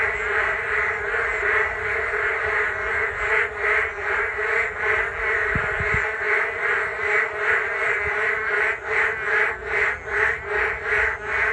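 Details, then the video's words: Rainy-day frog chorus on a Geum River walking path, many frogs calling together in steady rhythmic pulses around two per second, growing more sharply pulsed toward the end; brief low thumps midway. "비온날 금강변 산책로 개구리들의 떼창"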